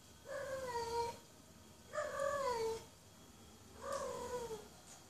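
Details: In heat, a female house cat gives three long, moaning meows about every two seconds, each swelling and then sliding down in pitch, calling for a mate over a faint background hiss.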